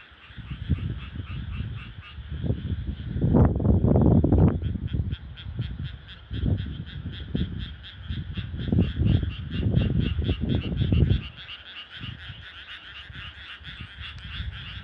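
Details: Frogs at night in rural rice paddies; loud, deep croaks come in pulsing bursts for about eleven seconds and then fade, while a high, fast, steady trilling chorus continues throughout.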